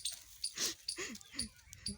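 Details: Puppies with their mother dog: short high squeaky whimpers and yelps, several in quick succession, falling in pitch, with a person speaking nearby.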